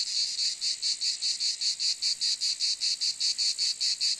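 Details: Cicada call as a shrill, high buzz broken into regular rapid pulses, about two and a half per second, continuing evenly without pause.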